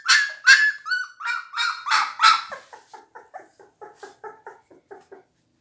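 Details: Blue Pit Bull puppies, seventeen days old, in a small room: loud whining yelps in quick succession, about two to three per second, fading into softer, shorter squeaks toward the end.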